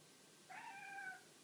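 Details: Pet cat indoors, delighted by a clock nail it mistakes for an insect, utters one drawn-out, steady meow with a slight rise at the start, in a quiet room.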